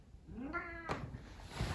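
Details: Domestic cat named Tommy gives a single harmonic meow, rising then falling, about half a second long, followed by a sharp click and quiet room noise.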